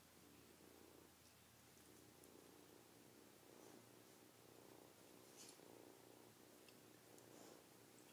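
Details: Kitten purring steadily in a low, throbbing rumble with a soft pulse about once a second, continuous throughout, with faint scratchy rustles on top and no voices.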